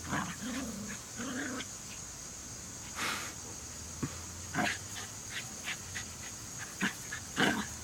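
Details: A trio of Jack Russell Terriers: two short nasal whines in the first two seconds, then a quieter stretch of scattered clicks, taps and a faint growl against a steady high background hiss.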